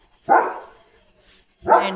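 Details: Two sharp, loud barks about 1.4 seconds apart from Leo, a pet German Shepherd on night watch after noticing something outside, with quiet gaps and a faint steady high hum.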